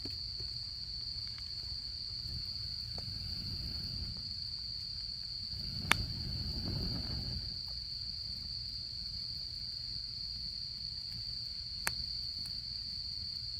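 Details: Autumn insects calling beside a campfire: an unbroken, high, steady trill runs throughout, with a few sharp crackles from the fire and a soft low rumble of burning swelling midway.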